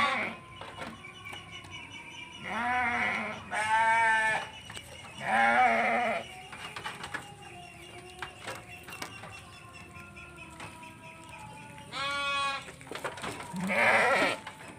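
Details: Large eleven-month-old Texel Merino ram with repeated wavering, harmonic bleats, each about a second long, coming in pairs with quieter gaps between them. Low chatter and clapping sounds are heard faintly.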